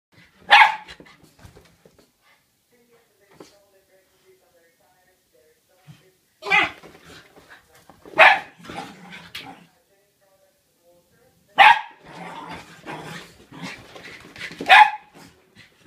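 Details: Border Terriers in a chaotic indoor commotion at home, giving loud bursts of barking and yipping in clusters near 1, 6.5, 8, 12 and 15 seconds, separated by quieter stretches with faint human voices.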